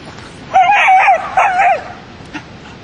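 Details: Border Collie named Tery at agility training, giving two drawn-out, wavering, high-pitched whining yelps back to back over about a second, followed by a faint short sound in an otherwise quiet background.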